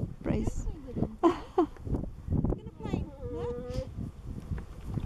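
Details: Husky named Nook talking to companion dog Brea, asking him to play, lying on cool grass. Short whiny yowls, then a longer wavering, rising woo-like vocal near the end, amid rustling, a woman's voice and background noise.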